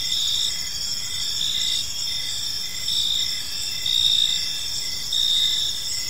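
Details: Evening park crickets calling together, a continuous piercing trill layered with lower, evenly spaced chirps about once per second, the loudness gently swelling and fading.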